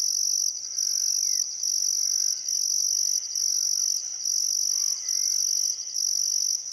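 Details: Australian crickets at sunset on the Barcoo River, Welford National Park, Queensland outback, still summer afternoon; high, even chirping pulses in regular bursts near one per second, with soft sliding birdcalls in the background.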